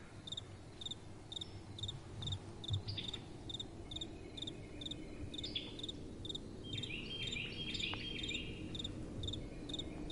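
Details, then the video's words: At night, crickets keep up regular shrill chirps while brief sliding high calls cut in now and then, over a steady breath of soft wind. "Crickets & Soft Wind"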